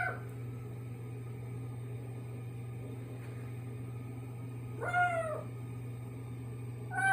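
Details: A kitten (domestic cat, Felis catus) in a bathroom makes a peculiar sound, said not to be from constipation: a clear, arched meow over a steady low mechanical hum.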